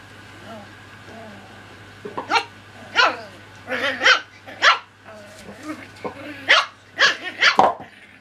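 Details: Cocker Spaniel puppies playing, giving a run of short, sharp yaps and high barks in clusters from about two seconds onward, with softer whines and a steady low hum underneath.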